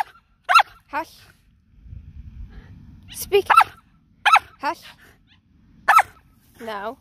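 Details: Shetland Sheepdog barking while being exercised: sharp, high, ringing barks, singly and in quick pairs, about eight over seven seconds, with a low rumbling noise in the middle and a brief softer bark at the end.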